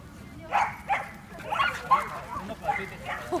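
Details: Male Norfolk Terrier, seven months old, at a dog run in Yoyogi Park in the evening; a quick run of sharp, mid-pitched barks, about five in three seconds, with human speech in the background.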